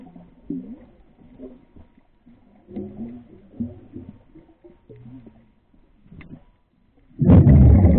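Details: Grey whales singing off the shores of Laguna Beach, heard underwater: low moaning and grunting calls rise and fall for about seven seconds, ending in a sudden loud burst of rushing noise.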